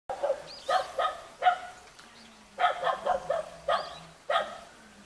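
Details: A cute Jindo puppy, met in a mountain village near Jeonju, South Korea, gives sharp, high-pitched yipping barks in quick runs of two to four, with a faint low hum between barks.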